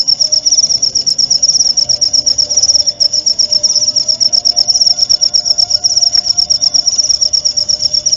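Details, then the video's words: Cricket tutor recording intended to teach white-rumped shamas its song, used each night and at dew time; a constant high, finely pulsed chirping trill carries on unbroken, with a soft faint tone lower down. "masteran suara jangkrik jernih!"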